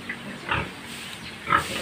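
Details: Domestic pig, a short, low-bodied sow, giving three brief grunting bursts spaced about half a second apart over a quiet, steady background.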